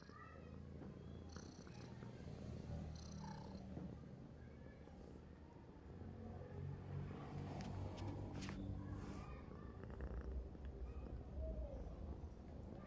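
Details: Domestic cat snoring as it sleeps: a steady, low rumbling purr-like drone of rapid pulses that continues throughout, with a few faint higher clicks and rustles above it.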